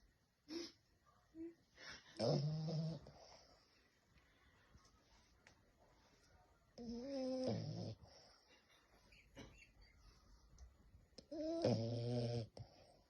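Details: French bulldog snoring, with long rumbling, tonal groans on each breath about every four to five seconds and quiet pauses between them.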